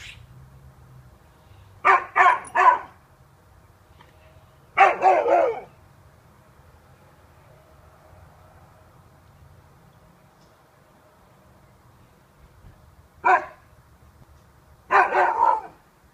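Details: A Siberian Husky barks at some bags in clipped, sharp, mid-pitched bursts, mostly doubles and triples, with long quiet gaps between them and a faint low hum in the background.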